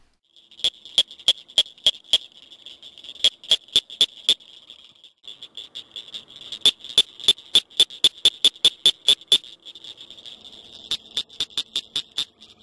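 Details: A small Northern cricket frog (Acris crepitans), one of the loudest frog calls in its area, gives its advertisement call: sharp, high clicks in quick series, like pebbles tapped together.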